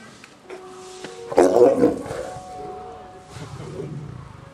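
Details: Male lion King, 19, at Kushiro City Zoo scolding two-year-old female Yuki after her tail touched his mane, 3 October 2010; a sudden short snarling burst followed by low grumbling, over a steady background hum.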